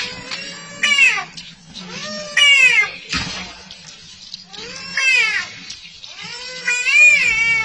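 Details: An American bullfrog awaiting slaughter at a restaurant gives loud, wailing, cat-like cries like "mama", each one arching up and then falling away.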